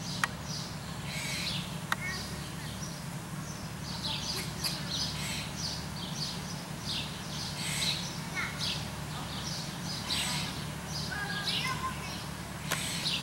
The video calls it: Squirrel Bark